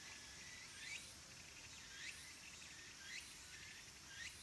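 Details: Cicadas at Kabusanji, a Tendai temple in the mountains of Takatsuki City, Japan, as summer ends: loud upward-sweeping calls repeated roughly every second over a constant shrill buzzing background.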